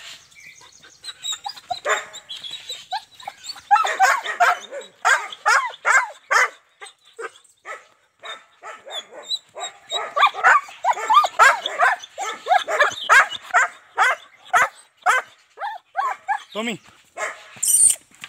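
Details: German Shepherd in Azamgarh, a stud offered in a dog trade, barking steadily in quick uneven bursts over eighteen seconds, with a few whining notes near the end.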